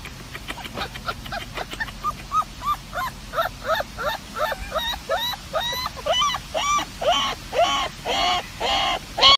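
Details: Dog making pig-like sounds: a rapid run of short, squeaky squeals and grunting snorts, about one per half second, getting louder and more nasal toward the end.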